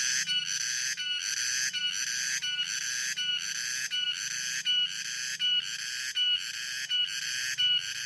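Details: Cicadas calling in the afternoon: a loud, shrill, high buzzing drone pulsing in regular beats a little more than once per second, with a faint low hum beneath.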